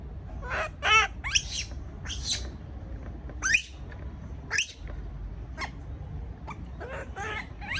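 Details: Frightened baby monkey alone in its cage gives sharp, piercing shrieks, some with a wavering tonal quality, roughly ten cries spaced irregularly, over a steady low rumble.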